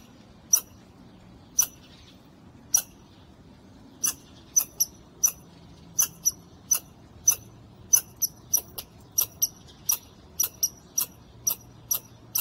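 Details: Squirrel perched on a wall, met by chance and very vocal: sharp, very high squeaky chirps repeated at uneven intervals, coming faster in the second half, over a quiet low background.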